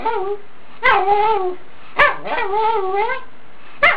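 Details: Wolf, a Pomeranian dog said to speak words such as "Hello" and "Hi Mom", gives drawn-out, wavering, harmonic yowls in three long phrases with rising and falling pitch, each opening with a sharp onset.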